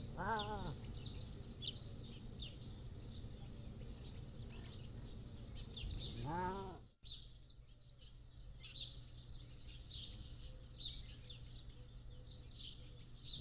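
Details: Pallas's cat kittens, 3 to 7 weeks old, captive at a wild cat zoo, recorded by a motion-activated trail camera. Two arched, harmonic-rich mewing calls rise then fall, about six seconds apart, with faint bird chirps in the background.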